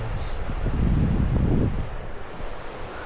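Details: Wind buffeting the microphone with low rumbling surf-like noise and no animal voices.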